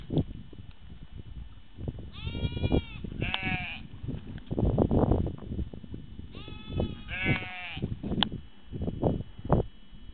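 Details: Sheep bleating in two bursts of quavering, harmonic-rich calls around two and seven seconds, set against steady low rumbling and broadband noise, possibly trampling or handling.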